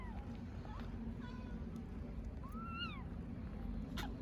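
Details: Hungry stray kittens in Istanbul calling for their mother cat: a few short, arched high meows, one clearer rising-then-falling cry near the middle, over a steady low rumble like traffic.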